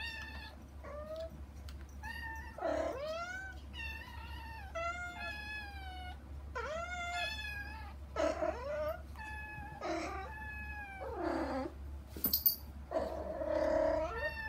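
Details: Kittens Saba and Kagishippo meowing insistently for their mother Hana beyond a frosted glass door; dense, overlapping high meows with wavering and curving pitch, nearly continuous, a few clicks near the end, low hum throughout.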